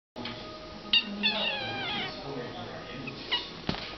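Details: Playful kitten acting angry during a game, with several other kittens around; a short wavering cry rises and falls near the middle over voices and a steady low hum.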